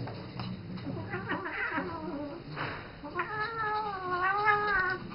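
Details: Pet cat Isis, seven years old, calls indoors toward the young ferret Rambo she mothers; a long, quavering meow with bending harmonics fills the second half, preceded by rustling and scuffling.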